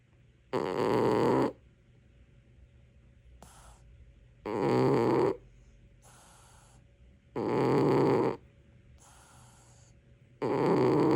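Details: Loud snoring from a dozing cat, four coarse throaty snores spaced about three seconds apart, alternating with light whistly exhalations and near silence.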